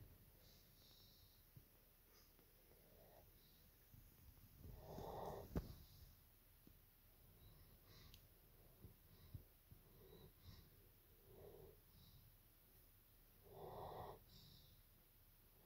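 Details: Evo, a German Shepherd, snoring at nap time indoors: a few soft, uneven breathing rasps, with two fuller snores about nine seconds apart amid quieter breaths.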